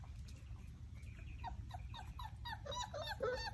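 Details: Basset Hound puppies at play, a rapid run of thin whimpering yips and squeals, several per second and growing busier toward the end, over a constant low background rumble.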